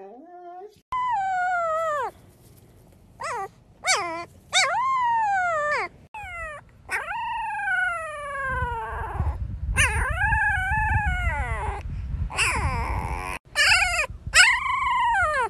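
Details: Siberian Husky, described as crazy and hyperactive, gives a string of falling, whining howls in short bursts, some sliding down sharply, with rougher noisy stretches between and faint background sound.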